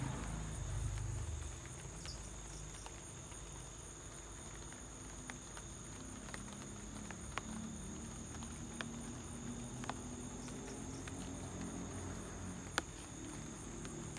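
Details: Light rain at home with crickets singing: an unbroken thin, high trill holding one pitch, overlaid by irregular patters of drops and a soft low murmur that swells briefly at the start.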